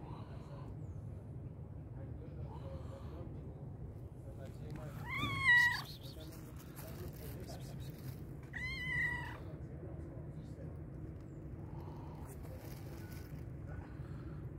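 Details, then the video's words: Hungry black and white cat meowing loudly: two strong rising-falling meows around five and nine seconds, with a few fainter calls and steady low rumbling background noise. "black and white cat was meowing loudly because it was very hungry."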